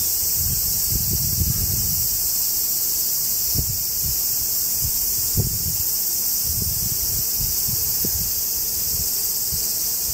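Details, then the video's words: Cicadas in woods beneath the Yoro Mountains on Japan's Tokai Nature Trail, between Osaka and Tokyo, heard while hiking north toward Sekigahara: a steady, dense, high-pitched shrill drone throughout, with crunching footsteps beneath. "Marching to a Japanese cicada sound track."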